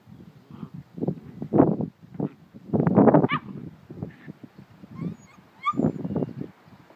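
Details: Schipperke puppies aged about 7.5 weeks give short yips, whines and soft barks in irregular bursts.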